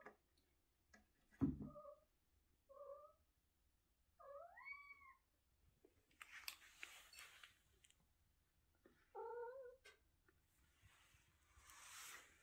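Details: Chatty house cat vocalising indoors: a series of short chirping meows, a rising then falling drawn-out meow and a later bent mew, separated by rustling and handling noises.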